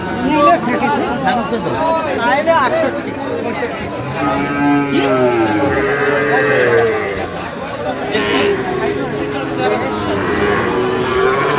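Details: Sahiwal bull calves at Ambari market (আমবাড়ী হাট) on 1 September 2025, with Cumilla farmers buying: a deep, drawn-out moo with arching harmonics mid-clip, nearly buried under loud bargaining voices and steady market chatter.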